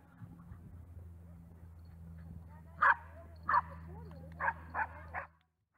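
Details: Cairn Terriers on a club group walk at Bussloo, Netherlands, on 2 October 2016: five sharp, short barks in the final three seconds, irregularly spaced, over a steady low hum and faint background murmur.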